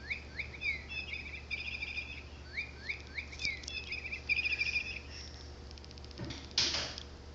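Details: Ninita, a five-week-old orphaned female pygmy marmoset abandoned by her mother at three weeks, rescued while ill and now hand-fed, active and playing indoors; thin high chirps with curved rising-falling sweeps come in quick repeated bursts, then rustling handling noise near the end.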